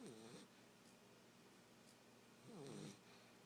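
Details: A 9-week-old male Basset Hound puppy, asleep on a couch, snores with two brief rasping, wavering breaths about two seconds apart.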